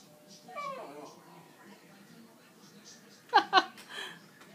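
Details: A Cairn Terrier whines over a plate of chicken on the counter, giving a soft falling whimper and then two sharp high cries.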